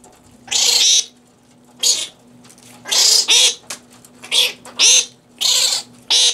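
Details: Feeding fruit bats at the Cranbrook Institute of Science in Bloomfield Hills, Michigan, home of the Organization for Bat Conservation, given romaine lettuce; about seven raspy, shrill squawks, some with a rising whistled edge, over a faint electrical hum.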